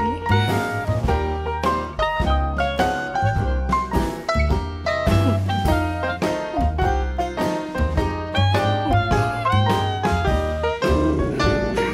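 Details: Lively swing-style music with plucked banjo and guitar plays throughout at a bouncy, steady beat.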